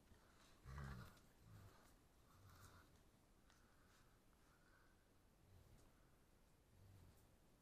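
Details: German Shepherd demanding: one loud, low, throaty grunt near the start, then a series of softer low grumbling moans spaced one to two seconds apart, quiet indoor background.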